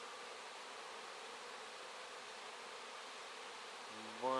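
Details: Honey bees swarming over wax to clean it out; constant, even, many-winged buzzing hum, joined in the last half second by a man speaking.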